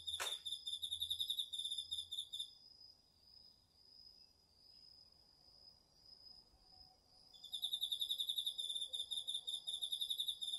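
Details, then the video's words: Autumn insects, crickets among them, sing in a garden field, captured on a DR-40X. A sharp click opens, then a fast, high, pulsing trill runs briefly. A long steady whine follows alone before the buzzy trilling returns. "秋の虫の声 ASMRでおやすみなさい 〜虫の音を枕元で聞いてね〜 こおろぎ他"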